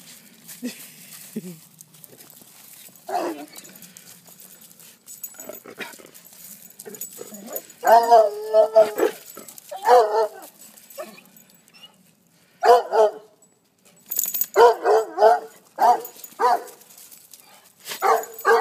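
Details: Big puppy named Frankie meeting foster puppies, with a shy Foxhound named Howie nearby; scattered barks and yips, sparse at first then in quick bursts toward the end, amid a person's soft praise.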